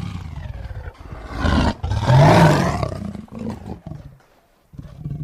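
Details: Tiger roaring in anger: one powerful, raspy roar builds to a loud, sustained peak, then tapers into lower rumbling growls, followed by a pause and a fresh growl at the end.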